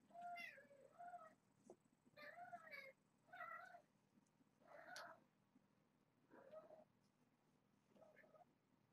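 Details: Young foster kittens born in April 2014, a litter of five with their mother, wrestling, squirming and chomping in play-fights; about six clear, tonal meows in bursts with wavering pitch, spaced roughly a second apart, with quiet gaps between.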